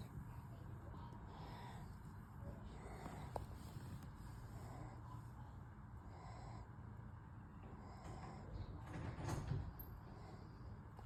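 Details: Worn-out male German Shepherd asleep after two nights at a home daycare, snoring in slow, raspy breaths roughly every second and a half, with a deep low rumble throughout and one louder snore near the end.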